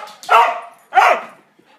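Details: Border Collie barking twice in reaction to the phrase "yo mama" amid repeated commands to sit; two sharp, loud barks about 0.7 seconds apart, with a person's voice before and after.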